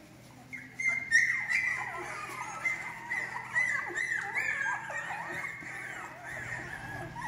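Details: Several young female English Cocker Spaniels, a Spanish breeder's litter for delivery in August 2022, yelp and whimper in quick bursts after a quiet start, high piercing squeals mixed with lower sliding whines, fading toward the end.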